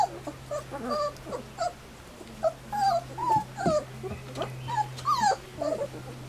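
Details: Three-week-old Standard Poodle puppies outdoors for the first time, freshly fed their first puppy gruel; frequent overlapping squeaky whines and yelps, some rising and falling, about two or three a second, with a faint low hum beneath.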